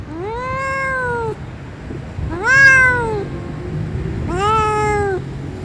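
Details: Blue-eyed kitten outside in nature mewing three times, each meow a clear rising-then-falling cry about a second long, spaced about two seconds apart, with faint low rumble behind.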